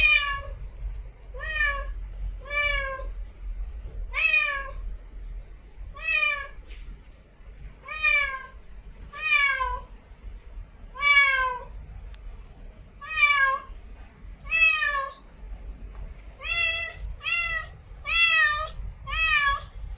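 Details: Steady series of short meows from a female cat in heat calling to mate, about one per second for twenty seconds, quickening toward the end, each bright and harmonic with a bowed shape.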